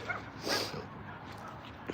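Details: Domestic dog inside a shady town park on a morning walk, barking to get to its pal, another dog held outside the park against a fence: a single sharp bark, then quiet outdoor background.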